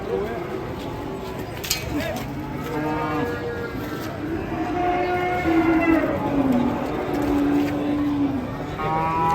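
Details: Agitated cattle at an Indonesian cattle pen, several long harmonic moos with slowly falling and wavering pitch overlapping one another, a sharp knock near the start, steady background crowd and yard noise.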